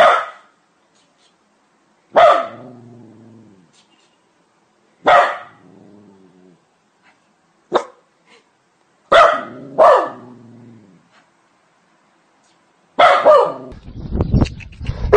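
A dog gives loud, harsh single barks spaced a couple of seconds apart, each trailing into a low tone.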